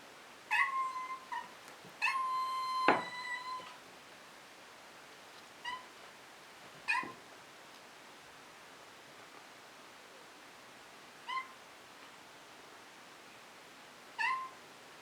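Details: Maine Coon kitten meowing indoors while treats are held in hand, wanting attention and treats; a few short meows, then a long drawn-out, strongly tonal meow near two seconds, followed by brief, sparse meows spaced several seconds apart.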